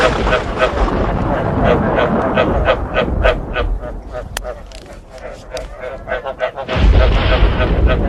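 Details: Frogs croak alongside thunder, recorded for playback to stimulate breeding; rapid throaty croaks repeat about three times a second over a heavy low rumble that swells sharply near the end.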